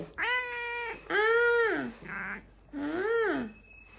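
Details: Kitten making coquettish, pleading sounds indoors: four clear, tonal meows roughly a second apart, each arching up and sliding down, with a soft brief nasal sound between the second and last.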